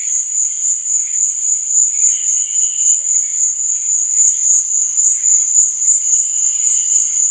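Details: Nighttime crickets giving a constant piercing trill, pulsing in loudness several times a second, with faint mid-pitched chirps drifting underneath.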